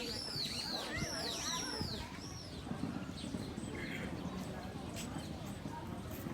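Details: Sika deer fawn called Minami at Nara Park by Todaiji's Nandaimon gate, Japan, heard calling for the first time: about six high, arched squeaky cries in quick succession over the first two and a half seconds, then background voices and outdoor noise.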